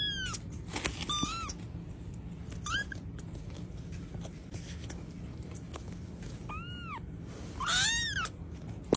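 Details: Pet cat meowing repeatedly: short arched, slightly nasal meows in quick pairs, a pause, then a few more clear meows, with soft background hum throughout.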